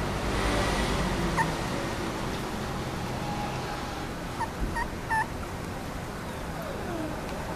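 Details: Three cream Dachshund puppies, two females and one male, recorded 12 March 2014: a few short, thin whimpering yelps, one near the start and a quick cluster of three or four midway, over a steady broadband background hiss.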